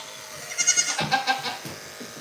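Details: Goat bleating at a farm, a short wavering bleat with rapid pulsed vibrato lasting about a second, bright and nasal, followed by a few softer trailing notes and low background rustle.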